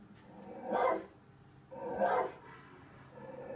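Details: A dog, Tazz or Venus, barking at the TV while trying to find out who is barking: two short, rough barks about a second apart, then a faint low sound.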